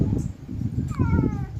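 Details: Domestic cat described as hungry and unfed gives a single falling, tonal meow of about half a second, heard under a woman's voice and steady low background noise.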